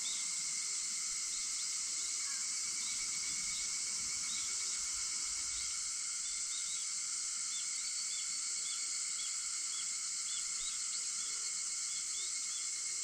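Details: Cicadas singing at 4:50 in the early morning on 4 August: a dense, unbroken high-pitched buzzing chorus holds steady throughout, with steady lower insect tones beneath and faint scattered bird chirps.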